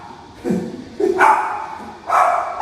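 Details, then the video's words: Dogs in an apartment in Mangpo-dong, Yeongtong-gu, Suwon, barking at outside noise and footsteps, a cause of neighbour complaints; three short barks, one low and two higher and sharper, with a person speaking nearby. "수원 영통구 망포동 아파트 강아지 소음 해결"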